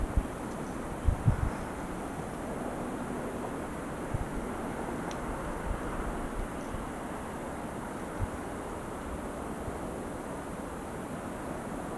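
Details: Steady low rumble of wind and distant traffic with a few soft knocks, and no bird or other animal calling.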